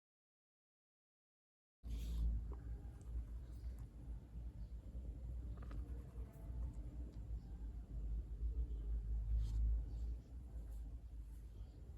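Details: A deep, continuous rumble like road traffic fills the recording after a brief silence. Faint scattered clicks and knocks sit above it, but no animal call can be picked out.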